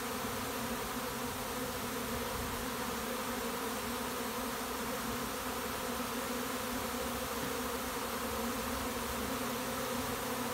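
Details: Many honey bees swarming into a bait hive set beside a house, filling the air with a continuous droning buzz that holds a constant level from start to finish.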